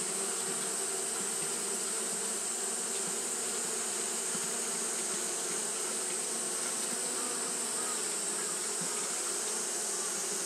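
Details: Fanning Japanese honey bees on a hot day produce a continuous droning hum, layered low tones under a broad hissing wash, steady in loudness the whole time.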